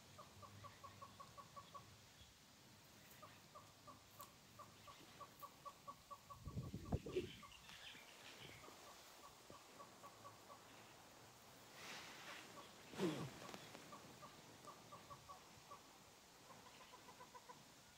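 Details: A family group of dwarf mongooses digging in a camp garden in Greater Kruger National Park, South Africa, gives rapid strings of short, high peeps repeated in quick bursts.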